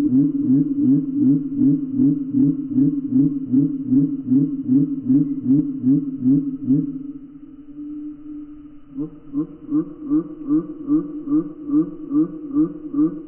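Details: Gray tree frogs calling, played back in slow motion: deep, throbbing pulses repeated about two and a half times per second. They pause briefly near the middle to a steady low hum, then resume at the same steady rhythm.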